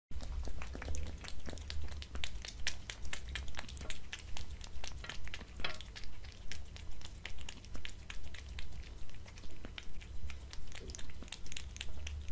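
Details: Pet cat eating dried fish, creamy treats and cat food on a glass table indoors; crisp crunchy chewing clicks in a steady rhythm of about two bites per second, with a low constant hum underneath.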